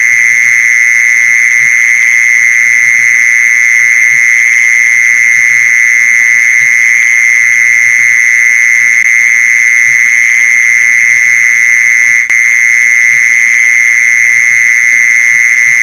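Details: Mole cricket calling, used as a lure for mole crickets, heard as a continuous shrill, level trill with no gaps, a single click near the end and faint low thuds underneath.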